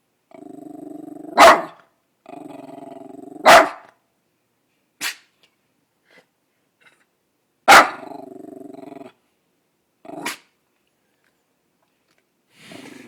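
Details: Female half-dachshund, half-poodle dog barking indoors at nothing outside; low rumbling growls broken by sharp, loud barks, about four strong ones spread across the clip, with short quieter bursts between.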